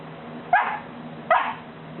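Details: Two crisp, high puppy barks under a second apart from Buddy, a three-month-old Golden Retriever balking at coming down one stair, with a quiet indoor background.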